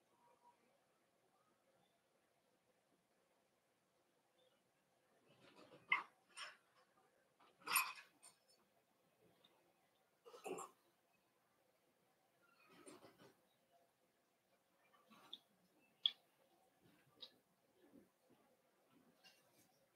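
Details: Cavalier King Charles Spaniel puppies in an indoor puppy pen, socializing with the household's bigger dogs on the day they start puppy food; a cluster of whimpers, yips and short barks over the second half.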